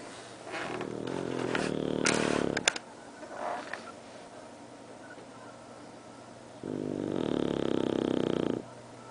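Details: Bru the bulldog snoring, two long buzzy rattling inhalations a few seconds apart, separated by quieter breathing and a few short clicks and rustles.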